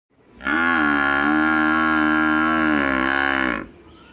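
A buffalo gives one long, deep, steady moo lasting about three seconds.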